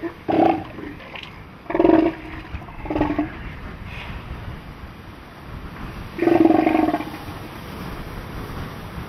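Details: A juvenile southern elephant seal with a cataract, stuck under larger animals in a wallow on Macquarie Island, gives four brief, harsh, throaty bawls at irregular intervals over steady wind or surf hiss.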